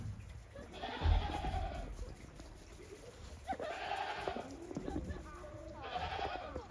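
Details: Goats on a Japanese farm on 28 December 2023, walking timidly on snow after a heavy snowfall, out again after a long time. Three wavering, nasal bleats, each about a second long, come roughly every two and a half seconds over low rumbling noise.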